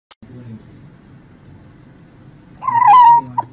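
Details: Boxer puppy giving a short, high-pitched whiny yip that wavers up and down, after a few seconds of quiet low rumble.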